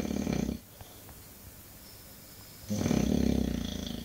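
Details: An English Bulldog snores, a short rattling snore fading out, about two seconds of near silence, then a louder, buzzing, throaty snore swelling and holding to the end.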